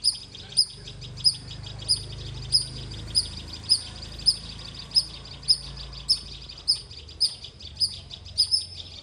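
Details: Squirrel giving a long run of shrill, evenly spaced chirps, about one every two-thirds of a second, with a low humming rumble underneath.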